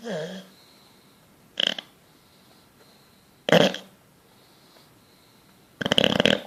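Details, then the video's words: Sleeping bulldog dreaming and twitching, giving short rasping snorts roughly every two seconds, each a burst of raspy breath separated by quiet, recorded in a small room. "Bulldog snoring dreaming twitching"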